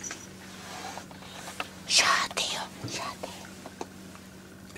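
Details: Pet cat Peko hisses in threat for the first time since coming home, at a new calico kitten inside Peko's former cage during a trial adoption; a short, breathy, noisy burst stands out, with soft indoor speech and a steady high electrical whine.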